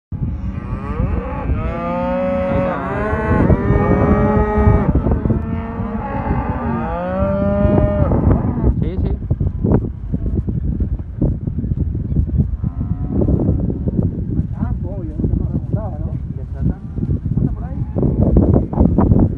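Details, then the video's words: Angus cattle from a herd of black Aberdeen Angus heifers and cows in southern Córdoba: several loud, drawn-out moos with rising and falling harmonics overlap in the first eight seconds, then fainter lowing amid heavy trampling and rustling. "Vaquillons y Vacas Angus"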